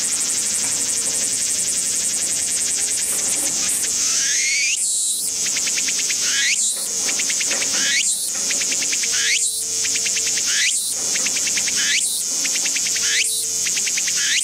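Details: Walker's cicada singing in a garden: a loud high buzzing drone that breaks after a few seconds into rhythmic phrases, each a rising sweep followed by pulsing notes, repeated roughly every one and a half seconds.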